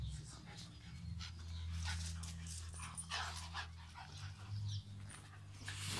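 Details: A Staffordshire Bull Terrier playing with a young American Staffordshire Terrier at a vet gives short, rough barks and whimpers, with a low steady hum beneath.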